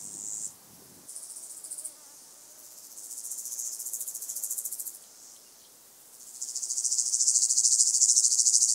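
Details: Singing white-headed toothed grasshopper (Stenobothrus fischeri) at Sandberge Oberweiden, Austria, July 2020; high sizzling pulsed bursts, short at first, then longer phrases swelling louder, separated by brief pauses.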